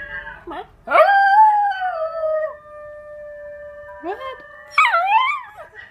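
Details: A Miniature Pinscher mix, possibly part Basenji, gives a long, steady, tonal howl while watching and answering a Basenji's yodel singing.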